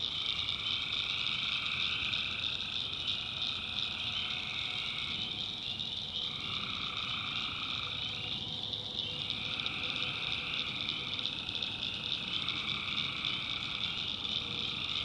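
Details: North Carolina swamp at night, where a tree frog chorus keeps up a shrill, steady high trill. Lower croaking phrases rise and stop in turn, several seconds long, with brief gaps between them.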